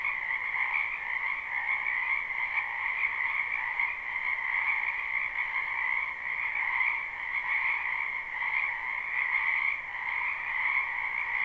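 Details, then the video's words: Frogs croaking in a spring wetland, live and unlooped: a dense, steady chorus of overlapping trills forming a continuous high drone with two bright bands and no breaks, gently swelling and fading over eleven seconds. "Ambient Noise for Sleep Frogs"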